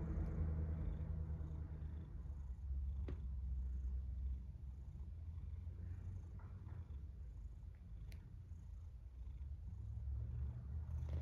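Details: A cat snoring in its sleep; a steady, deep rumbling drone runs throughout without pause, swelling and easing slightly with each breath.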